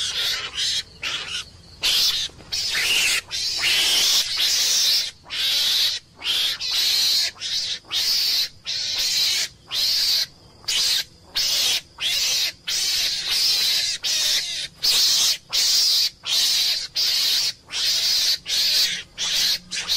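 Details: Meerkat scream sequence: continuous harsh, grating calls broken into bursts about one per second, loud and high, with a low steady hum underneath throughout.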